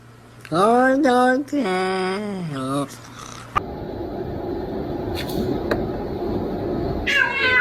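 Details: House cat meowing three times in quick succession, short harmonic cries with rising and falling pitch, followed by a few seconds of hissing room noise and a brief faint meow near the end.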